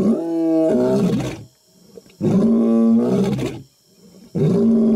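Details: Three powerful, throaty roars from a male African lion in the African jungle, roaring before attacking; each lasts over a second and they come about every two seconds with short silent gaps.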